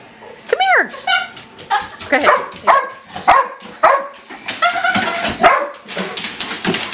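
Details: A Beagle and a Lab, frightened by a toy helicopter, give a high rising-then-falling yelp followed by short sharp barks. Human voices talk over the dogs throughout.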